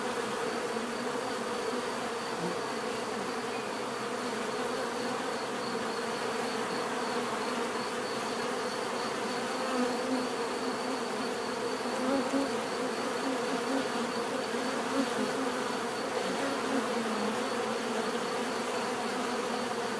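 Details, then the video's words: Bees humming continuously in nature, a thick steady drone of many wingbeats with occasional brief swells as individual insects fly closer, and a faint high thin tone persisting in the background. "bees therapy relaxing natural buzzing sound"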